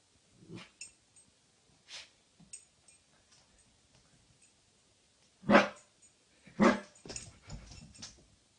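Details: A Siberian Husky puppy barking at its own reflection gives a few soft yips, then two loud, sharp barks a second apart.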